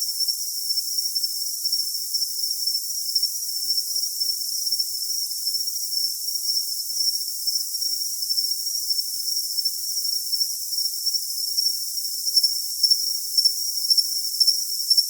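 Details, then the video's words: Continuous high cricket trill, smooth and steady for most of the stretch, with faint pulsed chirps emerging near the close; no other sounds. "Cricket Sound"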